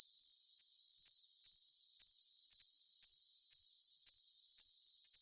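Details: Repeated shrill cricket chirps, brief pulsed bursts recurring about twice a second, above an unbroken high ringing tone and airy hiss; the recording holds only high-pitched sound.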